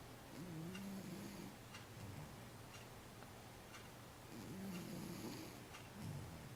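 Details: Sleeping domestic cat snoring softly: faint, low, buzzy breath sounds in two longer stretches and a short final one, over a steady quiet indoor background hum.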